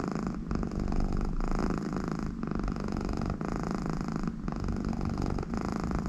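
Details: A happy American Shorthair, Conny, purrs beside her owner: a low, grainy rumble running without pause, pulsing with each breath, with short quieter gaps about once a second.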